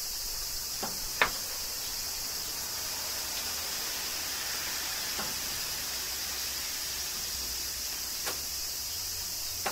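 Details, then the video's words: Cicadas singing during summer rain in Kyoto, Japan: a steady, dense, high-pitched buzzing chorus runs without pause, broken by a few sharp clicks or drips. "Cicadas Summer Rain - Zen Sounds of Kyoto, Japan"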